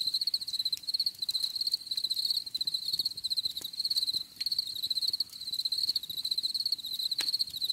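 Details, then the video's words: Cricket chorus for relaxation: continuous high trilling chirps in rapid pulsed bursts, nearly unbroken, with one short gap and soft background noise. "Bruit de Grillons"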